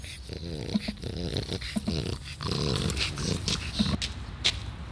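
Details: Taro, an old 12-year-old French Bulldog, recorded 16 July 2016, gives short harmonic grunting and whimpering bursts several times in a row, with faint speech and clicks in the background.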